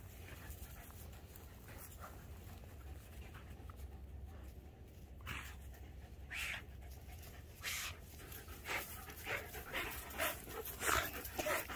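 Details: Playing tug on 21 March 2021, the Keeshond Voodoo and the Greyhound Tasha pant hard; breathy huffs grow louder and more regular toward the end, repeating about every half second, over a low hum.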